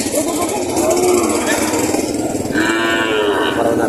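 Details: Breeding cows and heifers at a livestock auction in Padre Garcia, Batangas, Philippines, June 13, 2025: two drawn-out, steady-pitched moos about two seconds apart, over a constant engine-like drone and people talking.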